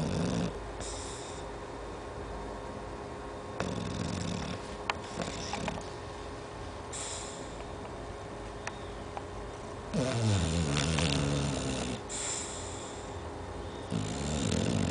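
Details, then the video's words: An 11-month-old Chow Chow snores in deep, rumbling, repeated breaths, with some snorting. "Chow chow - Roncando"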